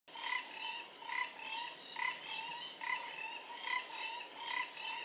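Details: Four-ridged toads calling around a forest pool in Singapore on 15 November 2014. Short, nasal croaks repeat roughly once per second in a steady series, over a continuous hiss.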